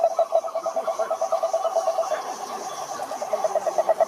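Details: Frogs calling at a pond, a rapid train of pulsed croaks that fades slightly midway and then returns, over a faint hiss of background noise.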